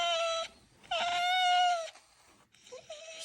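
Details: Pet fox Alice protests during brushing with drawn-out squeaky whines. One short cry is followed by a longer wail, then after a pause a brief, broken whimper. The tones are bright and nasal over a quiet room.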